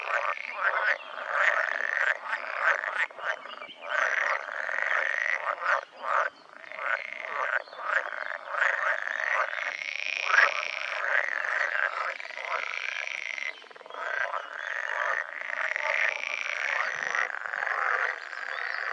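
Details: Breeding-season chorus of pool frogs, Pelophylax lessonae: many males croaking together in long rattling, bleating phrases that overlap and swell and fade without stopping for nineteen seconds.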